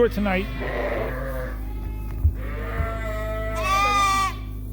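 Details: Suffolk lambs in a barn at Ewetopia Farms, mixed into one group after a gate was left open; several drawn-out, quavering bleats, the last one higher and louder, over a constant low mechanical hum.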